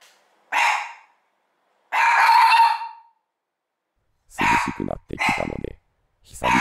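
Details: One-year-old Mameshiba barking fiercely out of a window opened for the first time in a while as the weather cooled, though no one is outside, like a guard dog; loud, drawn-out harsh barks, the second about a second long, separated by silence.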